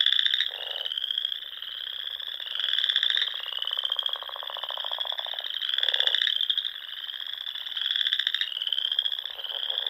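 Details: Dusk frog chorus from the ponds of the Nebraska Sandhills in spring, a ceaseless high-pitched trilling wall with rhythmic surges roughly every three seconds and a few lower, brief croaks.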